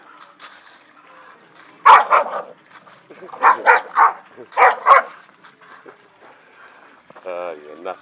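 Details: Staffordshire Bull Terriers having fun in the garden bark in a short cluster of loud, sharp barks mid-clip, with quieter sounds and a brief wavering whine-like tone near the end.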